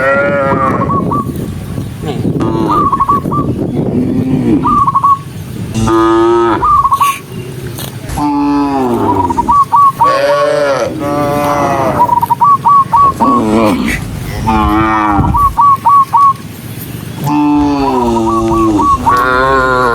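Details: Dozens of cows hurrying along a rural road, mooing almost nonstop: many overlapping deep, harmonic moos of varied length, some rising and falling, with bursts of quick, high chirping notes between them and a constant busy background.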